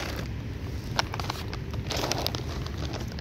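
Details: Wind buffeting and a low engine rumble, broken by scattered clicks and creaks, with no animal calls.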